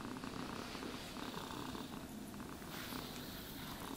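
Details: Low continuous purring from a pet cat during brushing and grooming, a quiet rumbling drone under rhythmic raspy strokes of the brush through fur.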